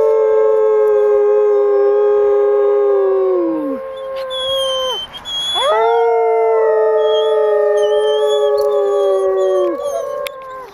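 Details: Vanda, a female arctic wolf at Jungle Cat World in Orono, Ontario, howls on 6 February 2011 during a behind-the-scenes visit as people coax her. Two long, steady, harmonic howls of about four seconds each sag at their ends, separated by a brief gap.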